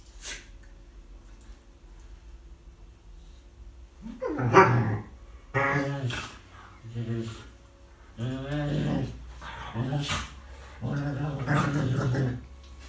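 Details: Chatty female rescue dog that rarely barks, playing with another rescue dog at home in 2018: drawn-out growly moans and grumbling yowls in several bursts of one to two seconds, with some human speech.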